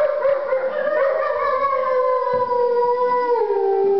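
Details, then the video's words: Wolf howling inside galleria MelePere in Verona, Italy, at the November 2009 opening of the exhibition "Del Plumbeo": one long, steady tonal howl with clear overtones, holding level, then sliding gently downward near the end. "The howling of a wolf"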